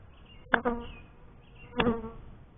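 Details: Honey bees at a beekeeper's first hive: two short buzzing bursts about a second apart, each a sharp onset with a low droning hum and stacked overtones, quiet in between.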